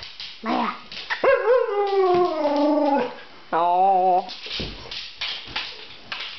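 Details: Maya, a pet dog eager for a walk, filmed in summertime. A long, drawn-out, whining howl slides gradually downward over about two seconds, then a shorter wavering whine follows. Quiet room with a few soft noises around.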